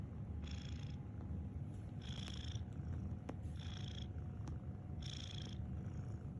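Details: Cat snoring in rhythmic breaths. Four breathy, whistling exhales land about every one and a half seconds over a continuous low rumble, with a few faint clicks between them.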